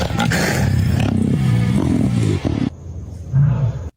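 A black panther gives a deep, rasping growl that rumbles low and steady before breaking off.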